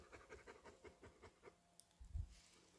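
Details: Dog panting on a mountain walk in the woods in South Korea, where a husky tracked a pregnant deer while a Labrador retriever stayed behind; quick, soft breathy puffs repeat steadily for about a second and a half, then a few low thuds.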